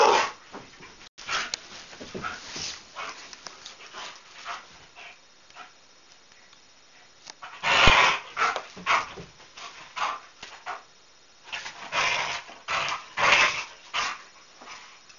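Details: Indoor play fight between a Whippet and Astro over a shared toy: a busy run of rough yips, whines and snarling barks in irregular clusters, loudest around the middle and near the end.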